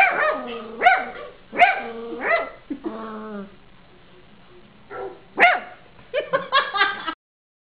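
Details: A 3-month-old Cavalier King Charles Spaniel puppy gives high, sharp yapping barks in uneven bursts, barking along with dogs in a Christmas advert.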